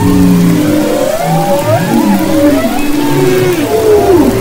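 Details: Humpback whales singing off Maui's west coast, February 22-24, 2011: long wavering moans and gliding mid-pitched whoops layered over steady low hums, several voices overlapping without pause.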